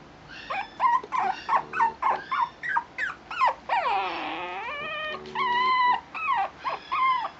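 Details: Shih Tzu puppy, a male, whining repeatedly: a quick series of short pitched yelps, then one long drawn-out whine that dips and rises, followed by steady clear whines in rapid succession.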